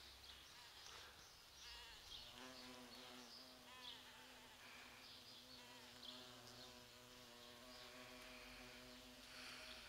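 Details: Noisy large bumblebees pollinating sete capotes (Campomanesia guazumifolia) blossoms in November: a sustained low buzzing hum with clear harmonics strengthening after two seconds and continuing steadily, with faint high chirps in the background.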